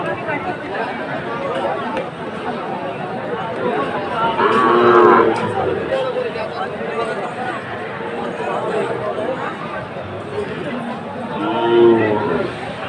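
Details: Sahiwal bull calves being bought by farmers in Jessore, Bangladesh: two drawn-out, tonal moos near five and twelve seconds, rising above constant loud crowd chatter.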